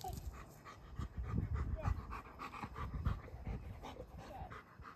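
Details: Rip, a two-year-old trained German Shepherd protection dog in Boise, plays fetch gently with a two-year-old girl; rapid rhythmic breathy panting bursts repeat steadily, with low rustling and handling noise beneath.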